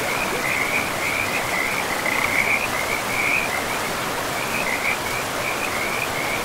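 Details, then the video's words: Pristine forest river with frogs: an unbroken fast-pulsing high trill, brief louder bursts around the middle, carried over the steady broadband rush of the river. "River and Frogs sleep sounds"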